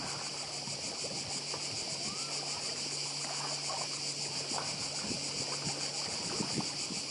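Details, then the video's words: Cicadas singing on Badija island, Croatia, as a dense, steady high buzzing with fast pulsing, layered over a constant wash of sea surf near the shore. "Cykady i szum morza w Chorwacji"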